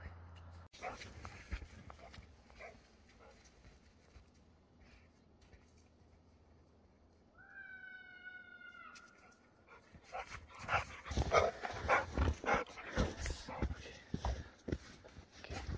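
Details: Blue fawn American Pit Bull Terrier puppy playing happily in snow near Flagstaff, Arizona; one drawn-out, slightly falling whine lasting about a second and a half, then loud crunching and scuffling in the snow.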